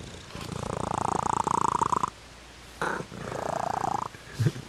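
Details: Domestic cat giving a steady, fast-pulsed purr: a strong two-second rumble, a short pause, then a second, softer burst, ending with a low brief thump.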